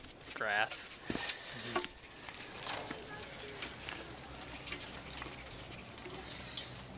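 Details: Two domesticated red foxes, Mikhail and Nikolai, from the Russian domesticated fox project, at the Austin Zoo, seeking a handler's attention as he returns with a water bucket; a brief wavering, harmonic whine near the start, then rustling and handling noise.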